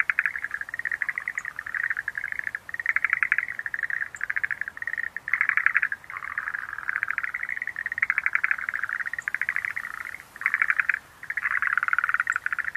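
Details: Schlegel's green tree frogs produce dense, overlapping rattling trills at a mid-high pitch, nearly unbroken across the recording. A few short gaps let single pulsed bursts stand out before the chorus swells again.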